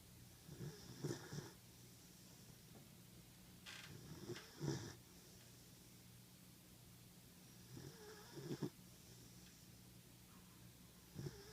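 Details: Sleeping 14-week-old German Shepherd puppy indoors, snoring quietly: gentle, raspy snorts about every three to four seconds, some doubled, against a constant faint electrical hum.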